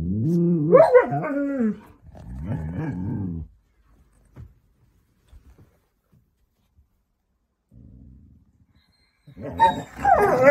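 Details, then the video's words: Siberian Huskies arguing and being dramatic on a cosy night in: loud, wavering howl-like yowls rising and falling in pitch for about three seconds, a pause with faint thumps and a low murmur, then another rising vocal burst at the end. "Huskies being dramatic and weird | Funny husky argument"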